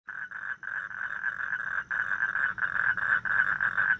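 A toad gives a steady, buzzy trill of rapid pulses, broken by brief pauses.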